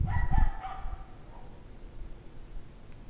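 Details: Dogs from a pack barking in freezing 17-degree Fahrenheit cold, January 9, 2009, around 5:00 PM: a quick cluster of two or three ringing barks with a low thump at the start, then quiet background.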